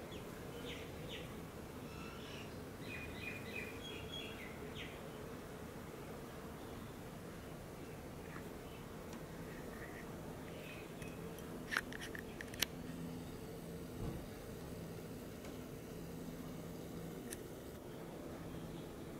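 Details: Continuous low hum of many bees working a flowering Leptospermum 'Aphrodite' native tree, with small birds twittering over the buzz in the first few seconds and a few clicks later.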